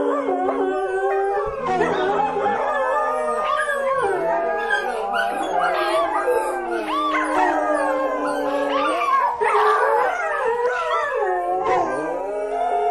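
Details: Howling dogs in a chorus of wavering, swooping cries, some voices holding long flat notes while others rise and fall quickly, mixed with short yips.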